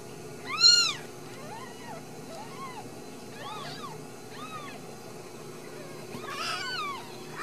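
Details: Ragdoll kittens raised in a home cattery in central Kansas, uncaged, giving a series of high arched mews, about six thin squeaky cries, the loudest near the start and a cluster near the end.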